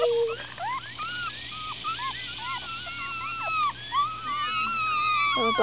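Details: Upset newborn Miniature Schnauzer litter, four days old and squirming everywhere: a dense chorus of short high squeaks and bent, wavering whines from many pups at once, running without pause, with a few longer drawn-out cries over the top.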